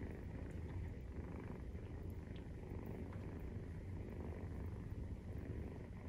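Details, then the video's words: Purring Maine Coon during nursing, kittens 43 days old; low, even, throbbing rumble held steadily for the whole stretch, only soft background hiss alongside. "授乳時のゴロゴロ 生後43日目"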